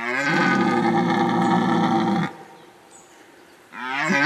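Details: Rutting red deer in the 2019 breeding season, giving a long, rough, growling bellow of over two seconds with a strong low voice, then a pause before the start of another roar.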